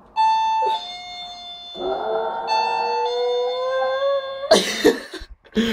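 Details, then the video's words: West Highland White Terrier howling indoors in response to a doorbell being fixed; sustained tonal howls with rich harmonics, steady then slowly rising, ending in louder rough bursts; a person murmurs nearby. "Westie Howling to Doorbell"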